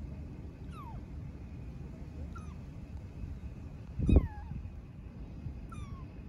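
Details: Homeless street kitten in Istanbul calling for its mother cat, four faint, high meows sliding downward, with a dull thump midway and a constant low background rumble.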